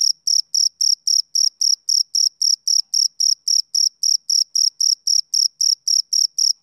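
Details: Male cricket on a summer evening: steady high-pitched chirps, about four per second, each a short shrill pulse with a fainter upper overtone, evenly spaced across some twenty-five pulses, with no other sounds.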